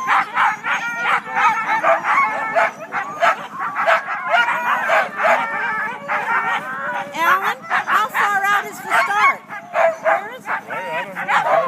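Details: First sled team of the day, all Siberian huskies, clamouring before the race start in Klamath National Forest, California, in February; many dogs yelp, bark and whine together in a continuous noisy chorus with rising and falling wavering howls.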